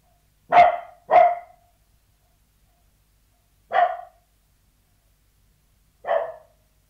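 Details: Sealyham Terrier behind a closed door inside a house: a fast double bark, then two single barks after long pauses, otherwise silent.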